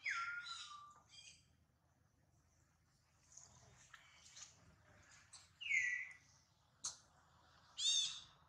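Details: Baby monkey Duke cries out after failing to catch his mother, with Duchess fretting over her baby. The sounds are shrill, falling wails: one long at the start, another near the middle, plus sharp squeaks and soft rustling between.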